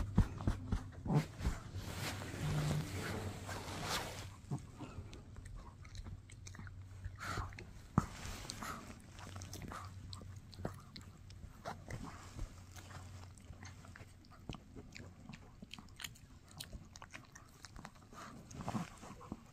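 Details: Chewing on a no-hide bully stick by Mikki, a Shih Tzu; soft repeated clicks and gnawing crunches about once a second over a low hum, with a brief rustle near the start.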